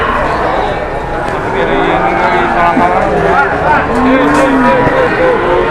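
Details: Cattle in Indonesia, brought in to be weighed and sold within minutes: short low moos with bending pitch, two brief lowing notes over background chatter and men talking.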